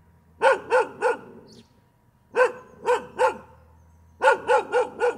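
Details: Dog giving continuous barks in quick triplets and quads, each bark short and punchy with a slightly arched pitch, groups separated by roughly one-second gaps over a low background hum.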